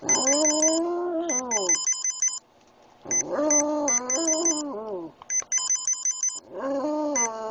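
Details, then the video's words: A pet Boston Terrier named Oscar howls to a repeating electronic ringtone: three drawn-out howls, each slightly rising then sliding downward, separated by short pauses while the chirpy tune keeps playing. "Making Oscar howl"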